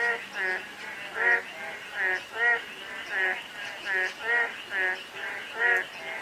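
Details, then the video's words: Frog croaks on a drizzly day: nasal, layered calls repeated slightly more than once a second, louder and softer callers alternating, over a continuous light rain wash. "가랑비 내리는 날/개구리 소리"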